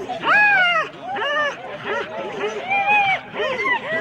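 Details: 4-dog Husky sled teams at the start line at Rendlesham in January 2016. Drawn-out arching yelps and whines rise and fall, several overlapping in quick succession.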